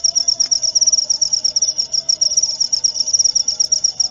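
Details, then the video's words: High, piercing cricket chirps in quick regular pulses, a steady trill running the whole length over a faint low hum. "Suara Jangkrik"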